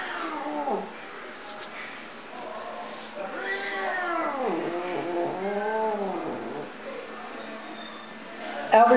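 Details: Male Burmese cat shut in his carrier at the vet and clearly unhappy: long, drawn-out yowling meows that rise and fall in pitch, several in a row through the middle, with a few human words around them.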